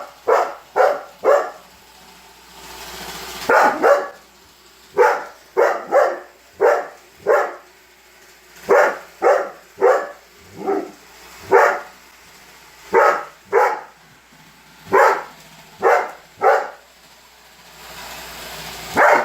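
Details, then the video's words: Annoyed by a robot vacuum, Holder the Weimaraner keeps up a long, uneven run of loud, sharp barks, often doubled, with brief gaps and a soft mechanical background. "Roomba robot vacuum vs Holder - Holder The Weimaraner"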